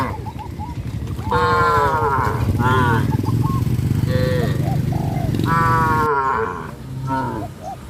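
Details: Cows driven along a countryside road by a farmer, lowing in several rich, wavering moos of one to two seconds each over a constant low rumble of movement and background noise.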